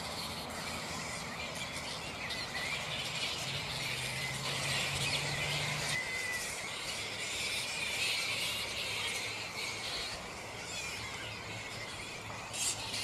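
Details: Restless black flying foxes, Pteropus alecto, at a roost in mid-morning: continuous high, rasping chatter and squeals from many bats, growing busier in the middle, with a brief low drone early on.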